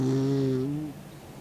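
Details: A single low humming snore under a second long from Mick, an old 16-year-old dog asleep with his tongue out, fading into a soft breath.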